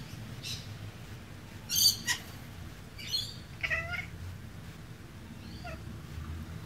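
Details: A female domestic cat mimics bird sounds to lure a magpie, chattering in a few short, high, chirpy bursts a second or two apart over a low steady hum.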